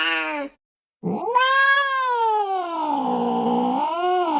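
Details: Cat cry used to scare a baby to sleep and chase rats: a short meow, a pause, then a long wailing yowl that rises, sinks slowly and swells again, rich in harmonics.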